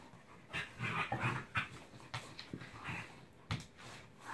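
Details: A Corgi taking on the big dogs in the house gives quick rough growls and whiny yips mixed with panting, in short irregular bursts; recorded August 2, 2017.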